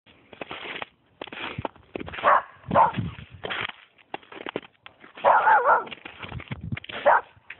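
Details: A Springer Spaniel barking at a snowman: sharp, loud barks come in irregular bursts, one near two seconds, another soon after, a cluster past five seconds and a last bark near seven, with quieter rustling between.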